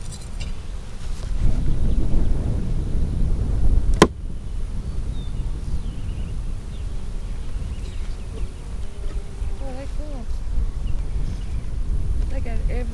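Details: Honey bee colony, split three ways on March 4, inspected on April 15, 2017 after smoking: a steady low droning hum throughout, one sharp crack near four seconds, and faint whistled chirps from a bird late on.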